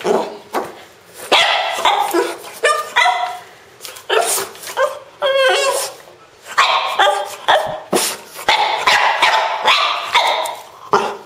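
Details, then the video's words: French Bulldog making strange, funny sounds: a rapid series of short squeaky yips, snorts and whining grunts in uneven bursts, some with wavering pitch, separated by brief pauses. "My French Bulldog making strange sounds!"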